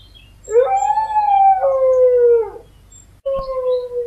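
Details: Dog howling, from a collection of howl recordings: a rising onset into a long steady tone, a step down in pitch and a gradual fall, then a clipped start of another howl.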